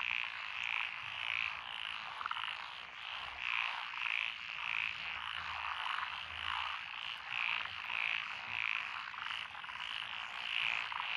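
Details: Frog chorus from lotus rice paddies beside a country road in Echizen, Fukui, Japan, 12 June 2021, with Japanese tree frogs, black-spotted pond frogs, wrinkled frogs, Schlegel's and forest green tree frogs: dense steady trilling with short high croaks repeating.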